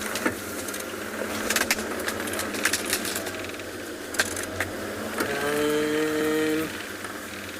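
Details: Rattling, clinking knocks and vehicle noise, ending with a steady droning mechanical tone, with no animal voice. Rattling, clinking knocks and vehicle noise, ending with a steady droning mechanical tone, with no animal voice.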